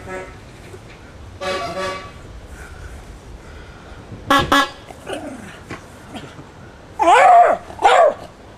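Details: Jack Russell Terrier named Squaddie reacting to a horn played at a folk band rehearsal, Copsale Hall, Sussex, June 2009. A long horn note sounds first, then sharp barks and two loud, wavering yelping howls near the end, with music and voices in the room.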